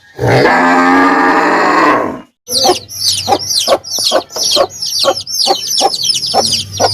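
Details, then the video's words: Cow lets out one loud, drawn-out moo lasting about two seconds, then a quick series of sharp clicking or knocking sounds repeated rapidly, about twice per second. "Cow Sound Effects Mooing Video"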